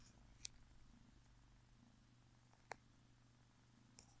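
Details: Zsebibaba, a tiny ginger kitten born February 2017, with its owner indoors; soft continuous low purring rumble with a steady hum and a few sharp clicks.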